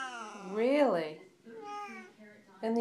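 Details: Siamese cat Caesar, one of two chatty house cats with Max, gives a loud meow that rises and falls within half a second. Softer vocal sounds follow, and a person's voice asks what the matter is.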